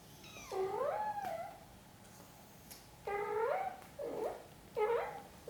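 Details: Mother cat gently tending her kittens indoors, giving a series of loud, drawn-out harmonic meows that bend downward then rise, four calls spaced about every second or two against a quiet room.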